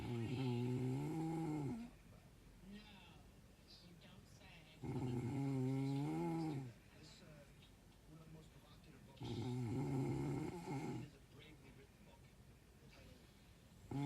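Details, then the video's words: A dog sleeping through the night snores in a rhythm, giving three low, wavering, droning breaths of about two seconds each, spaced roughly four seconds apart, with quiet pauses in between. "Snoring all Night Long"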